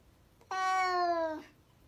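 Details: One steady, tonal meow from a domestic cat lasting just under a second, starting abruptly with rich harmonics and dipping slightly in pitch as it fades, against a quiet background.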